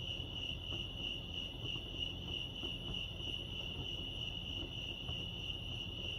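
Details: Continuous cricket chorus at Lake Arrowhead in California: a shrill, evenly pulsed trill held at one high pitch throughout, over soft low-frequency ambient rumble.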